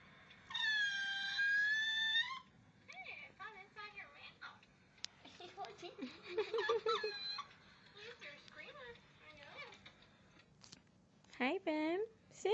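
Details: Pooka the puppy whines as Bam Bam tilts his head: one long, steady, high whine, then a run of short squeaky whimpers rising and falling, and a few sharp upswept squeals near the end.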